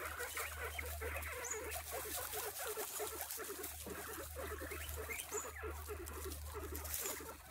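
Guinea pigs chatter with quick, squeaky, grunting bursts over a steady low hum.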